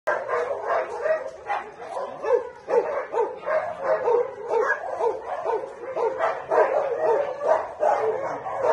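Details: Alaskan malamutes kept as ornamental dogs, recorded during breeding. Dense, continuous barking and yelping comes in short overlapping bursts about twice a second, with no pauses through the whole stretch.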